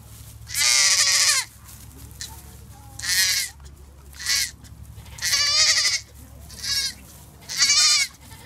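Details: Baby goat bleating: six loud, quavering, nasal bleats, each under a second long, spaced about one to two seconds apart, with a faint low hum underneath.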